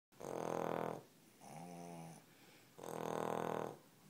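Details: Two sleeping Cavalier King Charles Spaniels snoring indoors; loud rasping inhaled snore, a softer wheezy tonal breath out, then another loud rasp, each lasting about a second.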